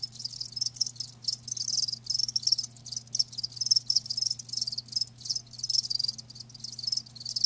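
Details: A chorus of live crickets trilling in rapid pulsing bursts that stop briefly and start again, high and shrill over a faint constant low hum.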